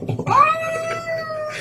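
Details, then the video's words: A domestic cat gives a single drawn-out meow that rises sharply at the start, then holds a long, steady, slightly nasal tone before fading. Faint rustling can be heard in the background. "Even Cats Can Talk - Best Talking Cats"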